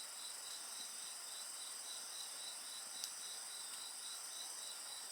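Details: Continuous high insect trilling with a softly pulsing lower chirp line repeating rapidly, plus a couple of sharp pops from a bonfire.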